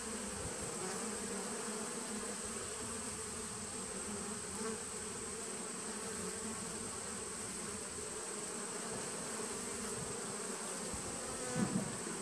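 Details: Nucleus honey bee colony from 2017, recorded 19 September 2018: an unbroken, even droning hum of many bees for the whole length, with one brief louder buzz right at the end.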